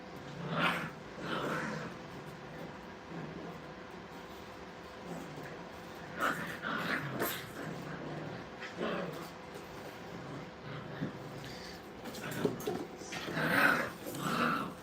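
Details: Brittany puppies at playtime in a training kennel, giving scattered short whimpers and yips at irregular moments, some louder near the end, over a faint steady background hum.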